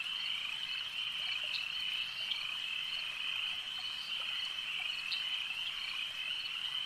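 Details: Many frogs calling together at a lake, a bright steady ringing trill with brief sharper chirps popping out every second or so above the massed sound.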